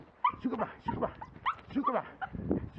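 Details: Jack Russell Terrier in scent tracking training giving a rapid series of excited whimpering yelps and whines, several short notes per second, with low background noise.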